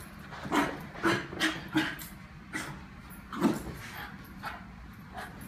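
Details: Pet Lakeland Terrier greeting its owner returning to the room, excitedly letting out a quick run of four short whimpering yips, then a louder single yelp and softer whines.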